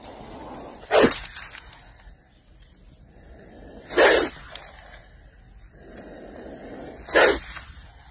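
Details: A cobra (nag) in a farm field gives three sharp, explosive, breathy hisses. They come about every three seconds against a steady low background rush.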